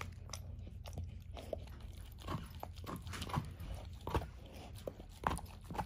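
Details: A 13-year-old German Shorthaired Pointer eats a whole dehydrated turkey wing for breakfast indoors; loud, sharp bone crunches and chewing come in irregular bursts over a steady low hum.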